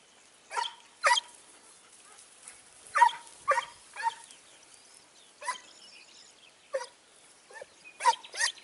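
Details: Segugio Italiano hound hunting hare on 29 May 2019 in Evros, with repeated sharp barks coming in irregular bursts, several close together, outdoors with little background noise.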